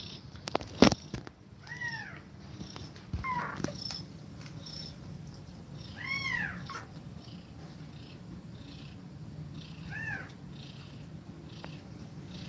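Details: A mother cat is feeding milk to her kittens and breathing fast. Scattered high, arching mews come at irregular intervals over a low, steady rumble, with a few sharp clicks and knocks near the start.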